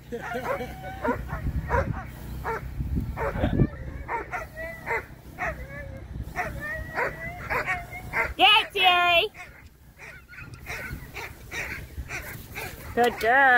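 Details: Presa Canario taking part in a UKC coursing aptitude qualifying run at the 2023 Premier Nationals; rapid, excited yips and wavering high whines repeat densely, with a loud rising squeal in the middle and background voices.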